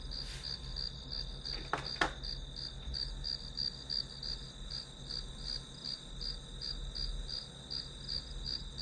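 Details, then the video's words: High-pitched grass insect chirping used as background white noise while studying, pulsing evenly about three times a second; two brief clicks near the start, and a low steady hum underneath. "풀벌레 소리"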